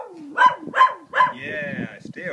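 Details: Zotz, a pet dog warning coyotes to stay away from the house, gives three quick barks about half a second apart. A person's encouraging voice overlaps and follows them.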